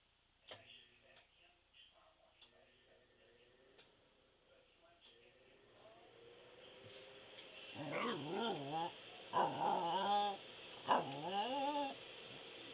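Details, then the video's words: Pembroke Welsh Corgi howling: faint soft sounds at first, then a swelling run of wavering, rising-and-falling howls that break into short yodelling bursts over the last five seconds. "Ein Corgi Howling"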